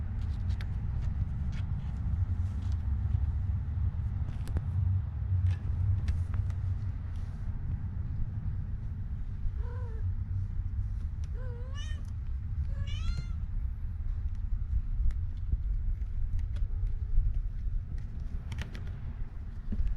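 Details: Taeng-on's kittens, called Leopard, Samlee, Durian and Daoruang, give four short, high, bending meows in quick succession in the second half, over a constant deep rumble like nearby vehicles.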